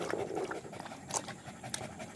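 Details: Village dog panting outdoors on 18 April 2021, quick breathy rasping puffs in short broadband bursts over a noisy background.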